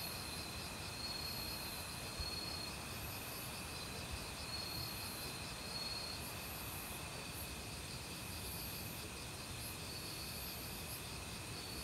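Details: Autumn forest cricket chorus mingled with other insects, a constant shrill trill and rapid pulsing overhead, while the flowing water of a valley stream fills the background with a steady rushing noise.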